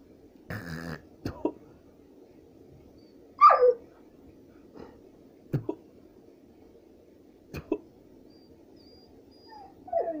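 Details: Golden Retriever giving a short, rough bark, then a sharp yelp that slides downward, followed by a few soft, spaced whimpers and a final rising whine, all over a quiet background.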